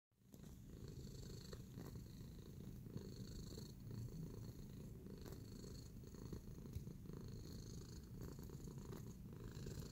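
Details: Tacy, a pet cat in a relaxed kneading mood, purrs steadily: a continuous low rumbling throb with soft rhythmic pulsing, broken only by faint light clicks and rustles.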